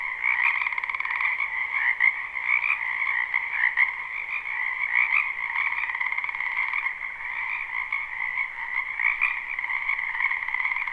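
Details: Frogs calling en masse from a wetland behind a home during spring, recorded live; an uninterrupted, pulsing drone of many trilling voices, slightly rhythmic flickers throughout, steady loudness, nothing else audible.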